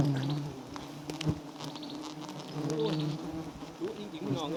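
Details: Giant honey bees at a small white wild nest said to hold plenty of honey: a steady low droning buzz with stacked harmonic tones, interrupted by sharp knocks and rustling handling noises.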